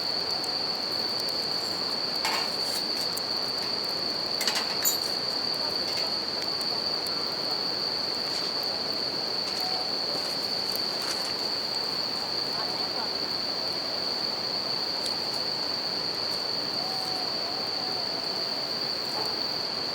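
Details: Continuous high ringing from bell crickets in the dark beside a river and campfire, steady throughout, with the hiss of moving water and several loud pops and crackles of burning wood.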